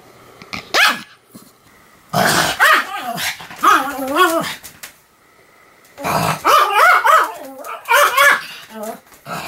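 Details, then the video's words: Pomeranian Sam barking nonstop, October 2015: two long rough bursts of growling, wavering barks and yowls, with quieter gaps between them. "犬の鳴き声 ポメラニアン サムの連続吠え"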